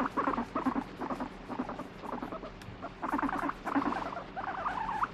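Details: Domestic guinea pig grumbling while being stroked, switching between demanding petting and pushing the hand away: clustered, stuttering harmonic pulses in uneven bursts, a wavering squeak closing the run.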